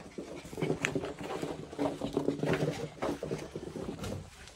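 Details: Chihuahua greeting its owner indoors; a stream of excited, wavering whines and grunting vocal noises, overlapping with the owner's voice.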